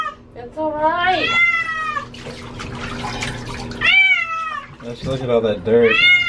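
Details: Domestic cat being bathed, an animal said to hate water: long wavering meows mixed with overlapping human speech and splashing water in a small room, the cries rising and falling irregularly.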